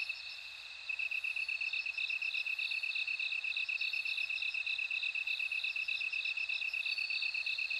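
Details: Bell cricket chorus: a steady, rapid string of high pulses runs throughout, with a higher, fainter trill ringing above it. It begins after a near-silent first second and has no other sounds.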